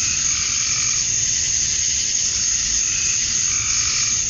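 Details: Male cicadas calling to draw females on a summer evening at dusk in Georgia, USA, a steady, hissing high-pitched drone that never pauses, with softer warbling bands below it.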